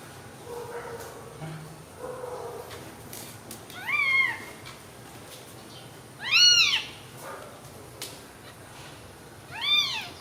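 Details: Newborn baby kittens sleeping together after milk give three thin, high mews spaced a few seconds apart, each rising then falling in an arch, over a quiet background with faint low murmurs early on.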